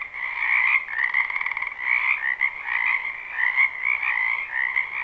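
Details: Dozens of frogs calling at once in a wetland during spring, captured live with no looping; a rich, buzzing chorus of overlapping croaks with a rapid pulsed trill rising above it near the start.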